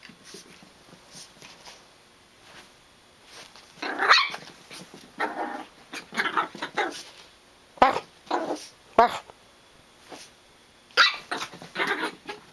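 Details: Farfl, a six-month-old female Chihuahua puppy, racing around a carpeted basement with the zoomies on a rainy day; repeated short rough growly bursts and yaps come in clusters with pauses between them, in a small indoor room.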